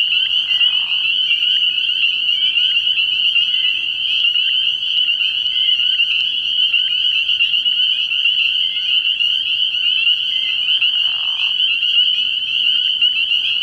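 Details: Many spring peepers in full chorus at a frog pond after dark early in the year; a piercing, unbroken high trill of overlapping peeps, with brief short lower rasping notes near the start and again near the end.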